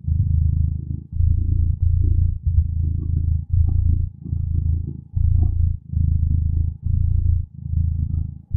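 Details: Contented cat purrs in long low rumbling stretches of about a second each, divided by short breathing breaks, deep and even with a quiet background.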